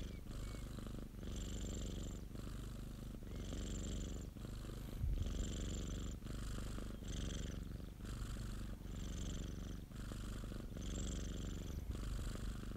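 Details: Rhythmic rumbling purr from a pet domestic cat named Popo, each in-and-out breath marked by a brief dip, repeating about once a second in a quiet room.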